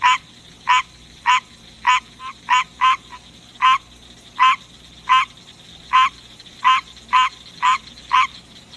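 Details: Night-time song of a captive male green tree frog: a steady run of about fifteen honking, nasal croaks, roughly two per second, with a couple of softer short notes slipped in and a faint constant hum behind.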